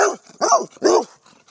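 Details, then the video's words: A Bernese Mountain Dog that loves to bark gives three deep, rough barks in quick succession. "Bernese Mountain Dog Loves to Bark"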